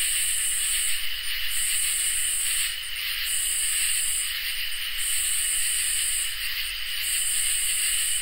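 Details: Crickets and katydids sing together on a summer night; sustained ringing trills hold underneath while a higher buzzy phrase repeats about every two seconds, each burst ending in short stuttering pulses.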